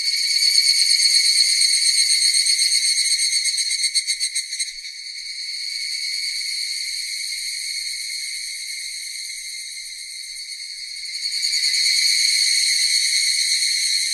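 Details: Loud cicada chorus: a piercing continuous buzz that briefly turns to fast rhythmic pulsing, settles into a softer steady drone, then swells loud again toward the close.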